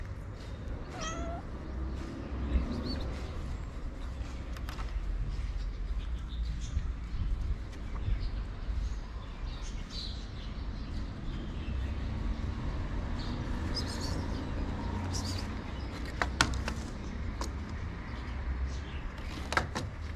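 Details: A male cat meows in his favorite place while waiting for love and food. A single falling meow comes about one second in, over steady low rumbling background noise with scattered clicks and scrapes.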